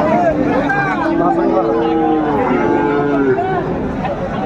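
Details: At Raniganj cattle market, Dinajpur, on 23 December 2024, Friesian and crossbred bull calves give overlapping low moos, several long drawn calls sounding together beneath constant chatter and crowd noise.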